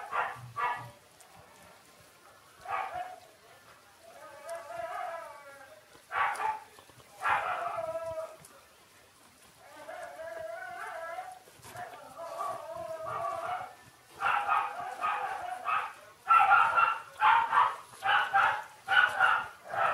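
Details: Two newborn Shiba Inu pups, Ôkami and Ikkyu, aged six days, keep up a run of shrill squeals and wobbly falling whines, growing denser and more insistent toward the end.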